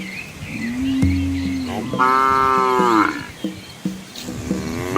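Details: Dozens of village cows and calves on a quiet Asian country road; a low flat moo is followed by a higher bleating moo and shorter overlapping calls from other animals.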